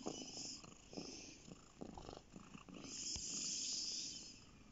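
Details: House cat on a lap purring, low buzzing pulses in rhythmic bursts early on, then partly covered by a broad steady hiss in the latter half.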